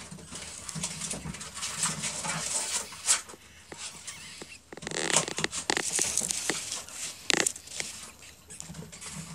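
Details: Baby ferrets only a few hours old in a workshop, giving tiny high squeaks in irregular bursts, with scratchy patter and rustling between calls.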